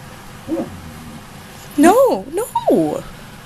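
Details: Female husky Ankita, almost a year old, in a heated indoor argument after being told to use an inside voice: a soft low whine, then loud swooping whines arching up and down in quick succession, with the owner speaking.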